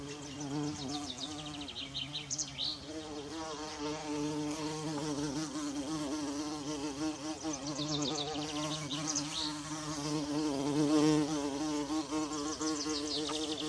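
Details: A bumblebee in a forest among wild violas drones steadily with a low, rich hum, while birds chirp faintly behind it.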